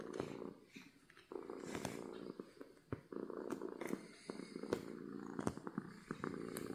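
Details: Happy domestic cat giving a soft, uneven low rumble, partly broken by sharp clicks, taps and rustling close by, the purr rising and fading across the few seconds.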